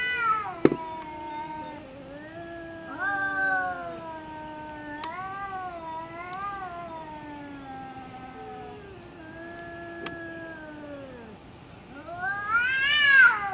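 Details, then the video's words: Cat making spooky noises in the middle of the night: a run of long, wavering, drawn-out yowls that rise and sag in pitch, one blending into the next, ending in a louder, higher, strained wail. "Cat Making Spooky Noises Middle Of Night"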